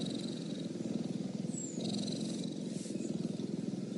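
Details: Cheetah purring steadily: a low, rough, rapidly pulsing rumble at about three to four throbs per second, continuous without a break, with faint high hiss in the background.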